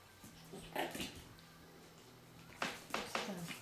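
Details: Japanese Spitz puppies playing with their mother indoors at a kennel in Norway give a few short, sharp yaps in two bursts, the later ones quick and close together, over a low steady hum.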